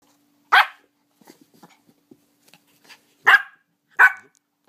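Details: Five-year-old female Pomeranian indoors, playing with her purse, gives three sharp, high yapping barks: one, then a pause of nearly three seconds, then two close together, with soft rustling and handling noises between.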